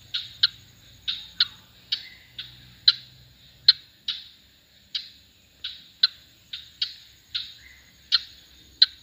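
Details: A frog in Kerala, India gives sharp, high clicking notes, repeated roughly every half second to second.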